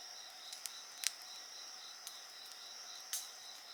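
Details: Short stretch of insect chorus beside a fire, shrill continuous tones and a quick pulsing trill, with several loud crackles from the burning wood.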